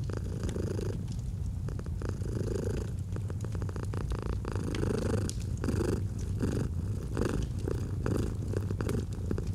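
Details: Continuous low purr of a domestic cat, rhythmic rises and falls with each breath about every second and a half, alongside snapping fire crackles in a cozy autumn setting.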